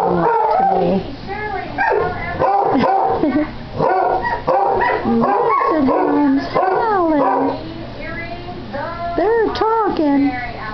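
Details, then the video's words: Pair of pet Basset Hounds howling together one morning, the younger about eight months old with a puppyish voice; rapid yelping bursts lead into long bending howls, ending with sliding, quavering notes. "One HOWL of a GOOD TIME!"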